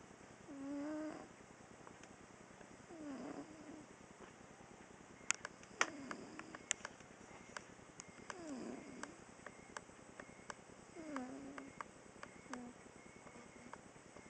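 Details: Female domestic cat snoring while asleep during a nap: soft, rough, low breaths recurring about every two and a half seconds, with scattered sharp clicks and ticks in between.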